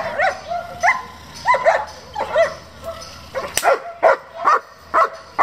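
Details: Repeated barks from a German Shepherd kept by a working and competition breeding group: short, clipped, fairly regular barks, a few rising into higher yelps, with a faint low hum underneath.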